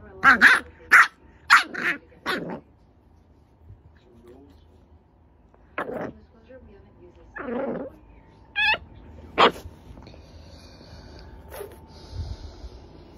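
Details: French Bulldog puppy having a nightmare: a quick run of sharp yelps and whimpers in the first few seconds, then scattered muffled whines and short yips with quiet pauses between them, indoors.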